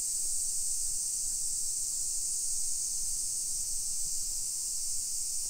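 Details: Summer cicadas in a hillside residential neighbourhood of Nisshin, suburban Nagoya, Aichi, Japan, at 1 PM on 28 July 2021: a dense, unbroken high-pitched hiss that holds steady the whole time, with faint low street rumble beneath.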